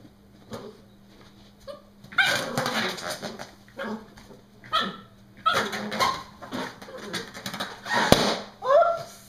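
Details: Brody the Norfolk Terrier at play with a balloon, giving repeated squealing shrieks and sharp yelps in irregular bursts roughly every second or two, some rising whine-like notes, low background hum.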